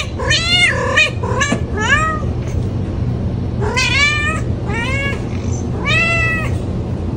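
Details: Cat repeatedly meowing, a cluster of quick meows at the start, a pause, then three loud drawn-out meows each arching up and down in pitch, steady low hum underneath.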